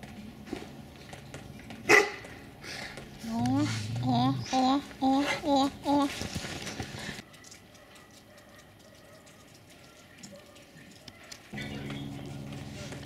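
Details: Tibetan Mastiffs on Tatiana's Day, 25 January 2022: a quick series of about eight short, high, whining yelps, each bending up then down, packed into three seconds, with people talking before and after and a sharp knock.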